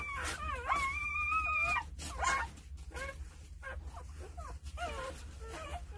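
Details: Nine two-day-old Jindo puppies being cared for by their mother, Sarang: overlapping high, wavering whines and squeals, one long steady tone held for about a second, then shorter rising and falling whimpers, over a low steady hum.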